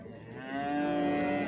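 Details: Cattle at the Sungurlu livestock market in Çorum, Turkey, on 7 December 2023, near a pair of calves offered for sale, one female and one male; a single steady, low moo swelling in loudness, with a faint murmur of the market behind it.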